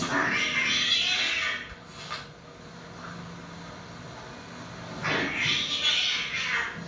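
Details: Domestic cat indoors, from 2008 home movies of two cats. Two loud breathy, hissing bursts, the first lasting about a minute and a half of a second and the second near the end, separated by quieter room sound.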